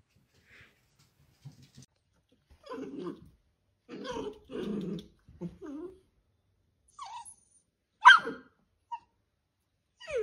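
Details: Dachshund, a pet sausage dog, giving short low growling bursts and grumbles with a few brief higher whimpers, scattered across the stretch between quiet gaps; a sharp higher yelp stands out near the end.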